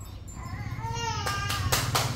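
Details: A cat gives one drawn-out meow that rises and then falls, followed by bursts of loud rustling noise and a steady low hum.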